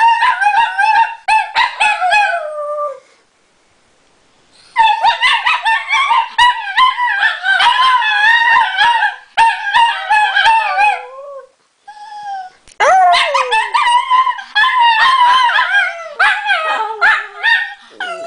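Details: Two female Italian Greyhounds bark at something out the window, then set each other off howling in long wavering bursts, voices sliding up and down with yips and whines mixed in.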